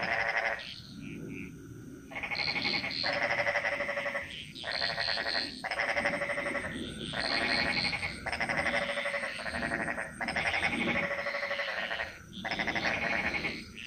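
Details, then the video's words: Frogs chorusing in the jungles of Bali: loud pulsed, rattling calls in bursts of about a second, repeated rapidly and overlapping, with a steady high insect hum behind. "Frog Mantras - Relaxing Sounds Of Bali"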